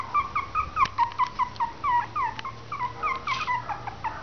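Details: Three-week-old Westie/Maltese cross puppies cry in quick, high whimpers that slide downward, two or three a second, with a few soft clicks and a low hum behind.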